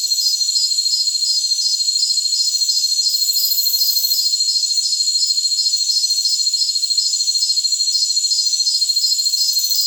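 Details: Crickets in a jungle setting, used as tinnitus masking: a shrill pulsed chirp ticks regularly about three times per second on top of a constant high ringing drone. Brief brighter hiss bursts surface now and then.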